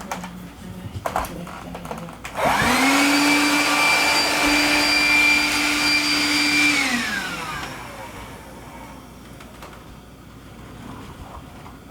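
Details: An electric motor like a vacuum cleaner or blender whirs up loudly for about four seconds indoors, then winds down, with faint clicks before and after.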